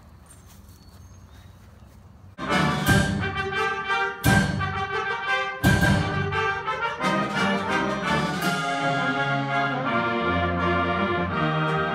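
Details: Near silence for two seconds, then loud orchestral brass music with trumpets and trombones, punctuated by strong accented chords, continues to the end.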